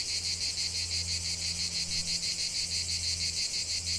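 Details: Cicadas singing in nature, a dense high buzzing chorus pulsing about three times per second, with a faint steady low hum beneath.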